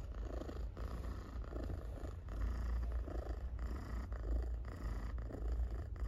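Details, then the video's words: Domestic cat purring loudly while being petted indoors; a steady low rumbling purr pulsing in regular breaths, swelling and easing about every second, with faint rustling from the petting hand. "Cat Purrs Loudly While Being Petted"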